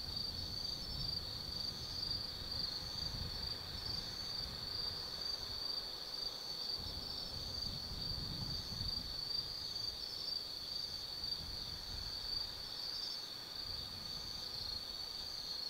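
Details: Autumn night chorus of insects in the forest of Tsukimi no Mori, Kaizu, Gifu Prefecture, Japan, from a lookout 180 m above the Nobi Plain: a steady high shimmering trill holding one pitch throughout, over a low rumble of wind.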